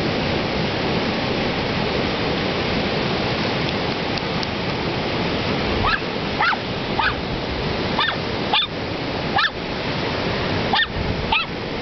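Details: Two dogs, one big and one little, playing in the surf at Ocean Park, Washington. Steady roaring waves fill the first half, then a string of short yapping barks breaks through over the constant wash of the sea.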